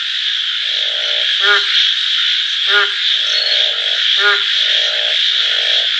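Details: Frogs calling: short buzzy trilled croaks in pulsed bursts, alternating with sharp rapid clicking notes about every second and a half, over a steady high insect-like hiss.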